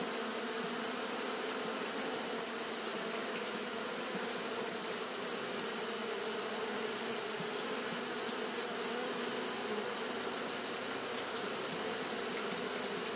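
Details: Japanese honey bees fanning nonstop in hot weather: a dense, low, wavering drone that runs the whole time, topped by a bright, unchanging high hiss.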